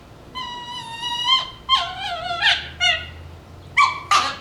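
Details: Shiba Inu puppies at play over a bone produce a thin high whining cry that wavers, then breaks into short sharp squeals near the end.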